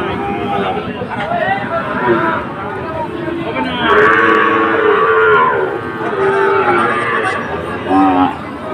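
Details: Sahiwal cattle at Ambari market on 2 October, among bull calves sold to a Sylhet farmer. Short moos come first, then a louder, drawn-out bellow around the middle, followed by further brief lows, with people talking throughout.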